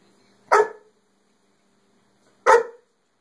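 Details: Dog barking at his whole cow hoof, two short sharp barks about two seconds apart, each a brief harmonic burst in a quiet indoor room with nothing else heard.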